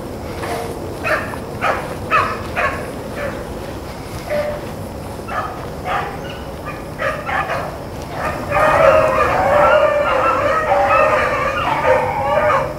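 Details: Blueticks and Blackcreeks on a rabbit chase, April 4, 2013: scattered, spaced chop barks at first, then the pack swells into a loud, sustained chorus of overlapping ringing bays.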